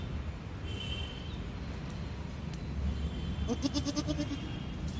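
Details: A goat at a mutton shop bleats once near the end, a trembling series of about eight quick pulses that waver up then slightly down, following several seconds of low rumbling background noise.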